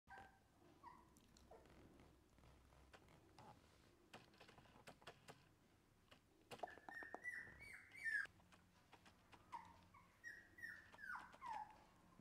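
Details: Shiba Inu puppy indoors, quiet at first with clicks and light tapping, then from midway a run of high, thin whimpers sliding downward, several short whines in close succession.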